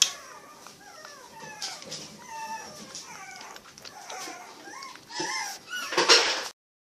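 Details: Seven rescued puppies at Animal Help Uruguay, a litter of males and females, give many overlapping high whimpers and squeaks that slide downward, with a few louder yelps near the end.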